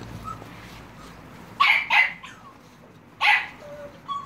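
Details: High-pitched yapping from Staffordshire Bull Terrier and American Staffordshire Terrier puppies, recorded 30 July 2017: two close sharp barks, a pause of over a second, then a third bark and a faint trailing whine.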